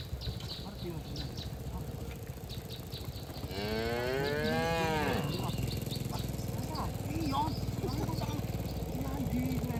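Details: Cattle in a herd grazing on green pasture. One long, arching moo swells and fades over about two seconds, mid-clip. Constant low-frequency rumble runs underneath, with light chirping and clicking sounds before and after.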